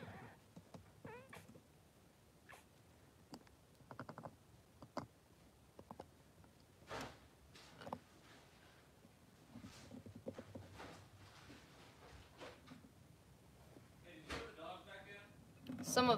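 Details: Two newborn Blenheim Cavalier King Charles Spaniel boys, three days old, in Pom-Pom's puppy pen with their mother: faint, thin squeaks and short whimpering cries scattered throughout, with soft shuffling and clicking sounds, ending in a louder squeal.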